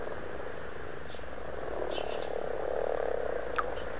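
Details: Amorous frogs in a pond at Blarney, Cork, Ireland, in February, producing a dense low purring croak, a rapid pulsing chorus that builds louder toward the end, with a few faint clicks.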